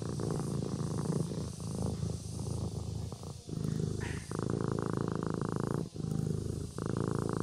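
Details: A domestic kitten purrs while asleep. The low, throaty rumble runs in uneven stretches with brief gaps between breaths and a soft hiss behind it.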